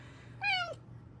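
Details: Female Bengal cat indoors, praised as a good kitty, giving a single short, clear meow that starts high and slides downward, over a faint steady hum.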